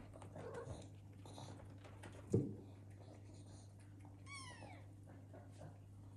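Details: Indoor house cats, parents watching their sleeping kittens from afar in a home shared with exotic animals; one short, high, sharply falling meow-like cry, with an earlier soft thump and steady low room hum.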